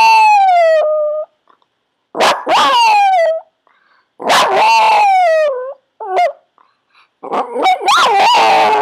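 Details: Yorkshire Terrier named Cherub, trained through shaping to howl on command, produces a string of high wavering howls, some long and falling, others short and yelping, separated by brief pauses.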